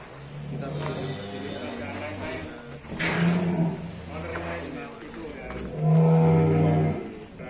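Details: Full-blood Black Angus bull of roughly 1.1 tonnes being brought out of its pen. Two deep, drawn-out moos of about a second each, the second louder, sound among shouts and handlers' voices.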